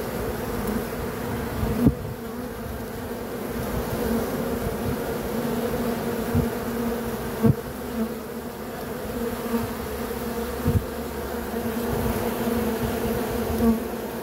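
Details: Steady droning buzz of bees, a low layered hum that holds unbroken throughout, with scattered faint taps.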